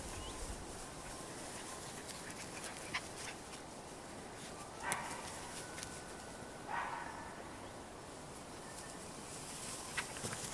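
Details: Cairn Terrier puppies at a breeding kennel in Escaudes, France, giving two short, high yelps about two seconds apart over a quiet, hissy background with faint clicks.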